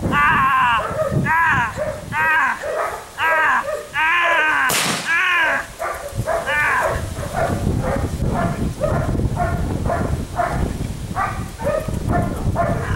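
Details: Belgian Malinois puppy, six weeks old, during gunfire and bite testing for police, sport and protection work: rapid run of high, strained barks and yelps, broken by a loud gunshot crack near the middle, barking resuming steadily afterward.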